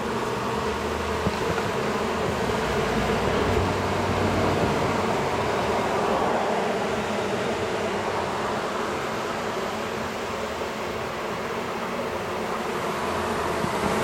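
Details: Honey bees from a long-established colony in a house wall, angry after dark during a rescue cutout, give a dense continuous buzz with a steady hum band and a mechanical low drone underneath.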